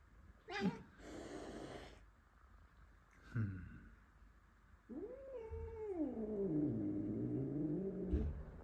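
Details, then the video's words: Angry domestic cat O’Mailey, upset by a new Blue Russian male brought into the house, gives short breathy hisses and bursts. Then comes a drawn-out low yowl that starts high and slides downward over about three seconds, indoors. "O’Mailey gets really angry as a new cat is in the house"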